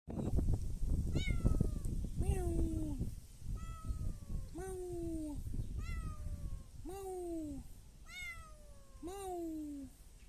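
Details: Stray kittens greedily meowing for food: about eight clear, drawn-out meows with falling pitch, repeated roughly every second, over a low background rumble.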